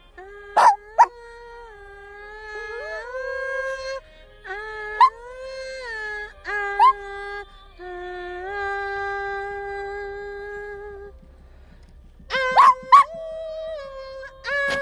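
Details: A Shih Tzu sings, howling along to music in long, steady tones that slide up into each held note.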